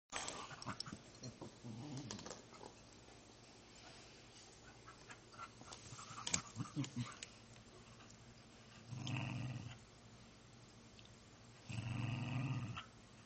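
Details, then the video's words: Pet dog asking for dinner indoors: low, rumbling growl-like grumbles in two bursts of about a second each, between quieter shuffling and soft household noises in a small room. "How my dog, Charlie, asks for dinner."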